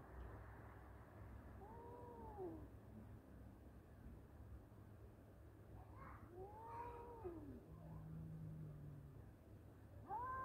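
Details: Two male cats in a fight trade drawn-out wailing yowls: rising-then-falling tonal cries near 2 s, again around 6.5 s, and another starting at the end, over a steady low hum.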